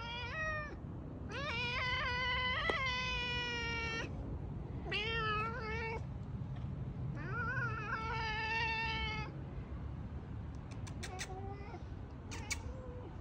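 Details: Loud domestic cat meows, long and wailing with bright harmonics, some bending down and then up again. Five main cries over thirteen seconds are followed by a softer mew and a run of sharp clicking taps near the end.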